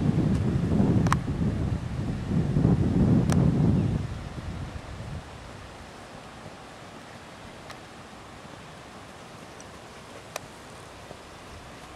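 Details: Outdoor wind rumble buffets the microphone for the first four seconds, then settles to a steady low hiss with a few faint clicks; no animal voice is heard.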